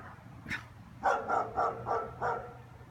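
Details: German Shepherds barking through an afternoon, heard from a neighbour's home: one sharp yelp, then a run of five quick harmonic barks over about one and a half seconds, with low steady hum behind.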